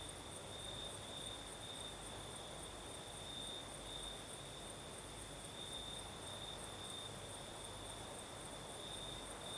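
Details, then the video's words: Crickets sing through the night in southern Crimea as a night breeze blows: a steady high-pitched trill with slight pulsing continues throughout, a weaker higher shimmer above and a low rumbling hum underneath. "Сверчки поют"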